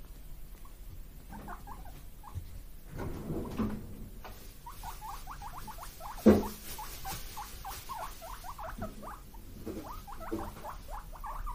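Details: Two guinea pig brothers, born 31 March 2022, wheek in rapid, squeaky bursts while begging for vegetable treats.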